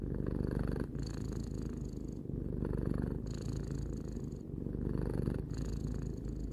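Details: Relaxed purring of a three-year-old cat named Tarou, a dense low vibration broken into breathing phrases by small gaps, otherwise quiet.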